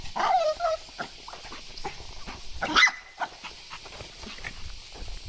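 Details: Shih Tzu grumbling on a cool early-morning walk alongside a lively Miniature Pinscher: a short whiny cry sliding downward, then scattered rustles, footsteps and a brief squeaky scrape.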